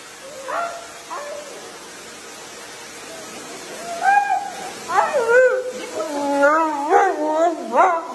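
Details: Husky described as a flirty crybaby gives soft, high whimpers, then a rising run of wavering, talkative whines and yelps, growing louder and more frequent toward the end.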